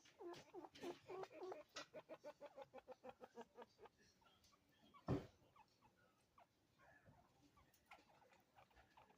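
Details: Two pet chinchillas, a father and his son, call back and forth with quick, squeaky, bark-like calls in rapid repeated bursts, then softer chirps.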